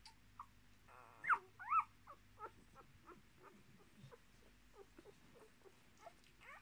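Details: Quiet, rapid whimpering and squeaks from Miniature Australian Shepherd puppies, a litter of six with their mother, born 10.03.2020; two sharper rising yelps stand out early over a faint electrical hum.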